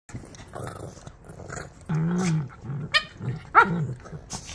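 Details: Shih Tzu puppies rough housing together: a low, drawn-out growl builds for about half a second, followed by two sharp, high yelping yips. Softer grumbles and scuffling noises fill the gaps between them.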